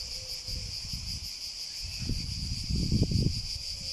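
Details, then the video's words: Continuous shrill cicada buzzing runs throughout, partly covered by heavy low-pitched rumbling that swells near the end. "Sounds of the cicada"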